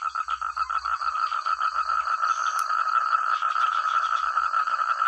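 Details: Frog chorus from village rice paddies: many frogs at once, each with its own voice, making a loud, clear wall of quick rhythmic croaking pulses, with a faint continuous high-pitched hum running over it.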